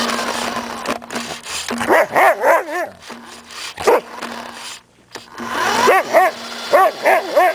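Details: Samoyed dog chasing a remote-controlled car during play, giving rising-and-falling, howl-like barks and yodels in two bursts, with a steady motor whine underneath and a short quiet gap between the bursts.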